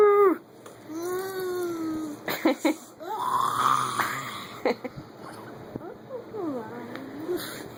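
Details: Aidan, a pet dog, sounds off indoors with drawn-out whining howls that rise and fall in long tonal arcs, broken by short bursts and a woman's voice speaking to him.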